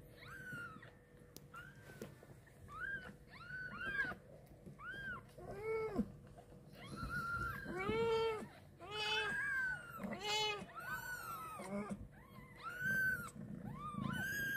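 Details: Newborn kitten carried by its mother cat for the first time after birth; insistent, high, bending mews repeat roughly once a second throughout, some strained and harsh, over a faint steady indoor hum.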